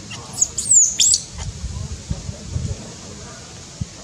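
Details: Newborn monkey infant in Cambodia, born in tall trees, lets out three or four shrill, falling squeals in the first second, followed by low rustling and handling noises.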